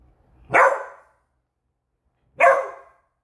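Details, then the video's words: A pet Beagle in alert mode over a squeaky toy, giving two loud, sharp, ear-splitting barks about two seconds apart with silence between them. "Which Toys Cause a Beagle To Bark?"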